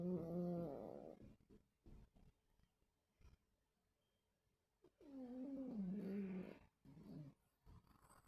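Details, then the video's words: Dreaming dogs snoring in their sleep on 26 August 2024: two low moaning groans with a wobbling, slightly falling pitch, separated by quiet breaths and small clicks. "Snoring and dreaming dogs"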